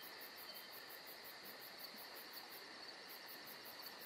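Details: Crickets calling through a summer night in Georgia, a bright sustained ringing drone topped by quick pulsed chirps about four per second, with a short gap in the pulsing partway through.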